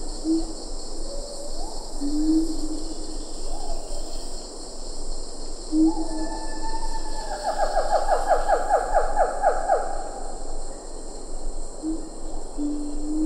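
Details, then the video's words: Siamang calls, close to medium range, in Ketambe Forest with lar gibbons faintly behind. A few slow, rising whoops build into a fast burst of sharp ringing notes, then slow again. A constant high insect hum runs throughout. "Siamang Gibbon. MCU Calls. A Few Lar Gibbons In B/G. Ketambe Forest"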